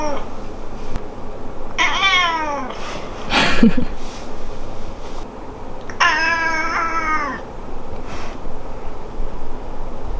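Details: Domestic cat indoors, whose meows differ between the parents and the beloved daughter of the family; two drawn-out, harmonic meows, the first falling in pitch and the second steadier and longer, with a brief thump in between and a quiet room.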